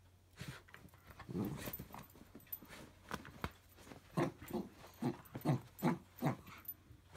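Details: A small Jack Russell Terrier named Pickle playing tug of war inside. Rough growling starts low and uneven, then becomes rhythmic pulsed snarls, about two or three per second, against a faint low hum.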